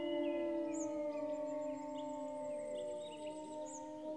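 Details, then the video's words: Grey wolves howling, several long steady overlapping tones held together with little change in pitch, forming a sustained chorus, with faint higher notes drifting above. "le chant des loups"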